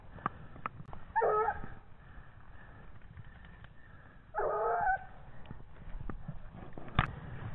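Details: A 17-month-old Gascon Saintongeois hound gives two drawn-out, ringing bays a few seconds apart while on a wild boar trail.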